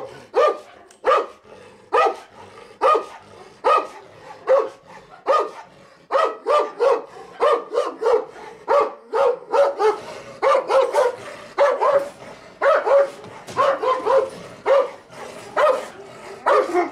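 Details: Female Turkmen Alabai, a Central Asian Shepherd Dog, guarding her territory during an instinct test. She gives loud, harsh barks, often in quick doubles and triples, in a long irregular volley of about one per second.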